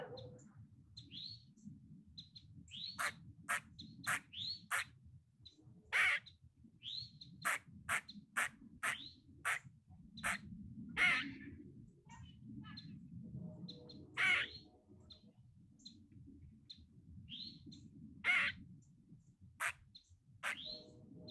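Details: A squirrel sitting in a tree gives sharp, harsh screams and chattering bursts, a "kuk kuk kuk – quaa" call, with brief down-slurred squeaks between them.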